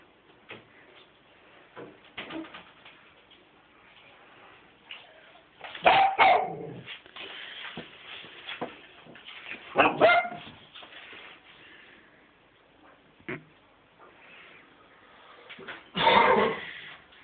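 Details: Cavalier King Charles Spaniel kept as a pet, barking to be taken out in the car: three loud, abrupt barks spaced several seconds apart, with quiet shuffling and faint soft yips between them.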